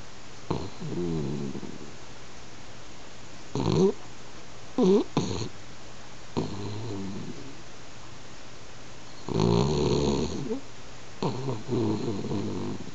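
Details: Sleeping pet French Bulldog snoring like an old man, the snores growing louder: rough, rattling low snorts in uneven bursts, some long and harmonic-rich, separated by quiet breathing gaps.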